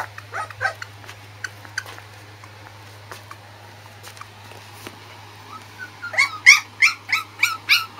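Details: A fluffy female Corgi puppy born 31 August gives soft squeaks, then a run of high, shrill whimpering squeals about three per second.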